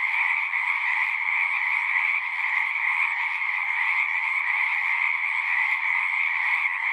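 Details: Steady chorus of numerous frogs, a shimmering mass of overlapping trills at two pitch levels that never pauses, with no other sounds breaking through.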